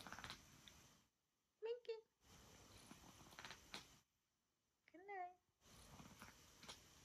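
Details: Minki, a pet cat in Oklahoma who usually hides all day, answers her owner: two short harmonic meows, one near two seconds and a wavering one near five seconds, between stretches of quiet indoor room noise.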